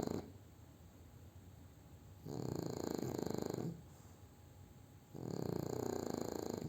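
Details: Sleeping after a meal, French Bulldog Júpiter gives a quiet stretch of breathing, then two heavy raspy snores, each over a second long, about three seconds apart, with a faint constant tone beneath.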